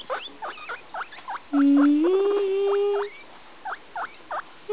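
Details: Singing pet guinea pig: a run of brief squeaky chirps repeated about twice a second, broken by one long pure whistled note that slides slightly upward and holds for over a second.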